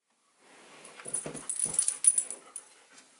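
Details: A 5-month-old German Shepherd puppy gives a couple of soft, short barks against faint indoor hiss; the owner suspects it is barking at a cat it sees; German Shepherd dog.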